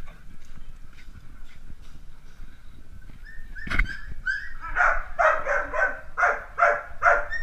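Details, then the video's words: Playing Dalmatian puppies: quiet rustling and a single loud knock, then a run of shrill, rapid yaps repeating about twice a second until the end. "Filhotes de Dálmatas brincando"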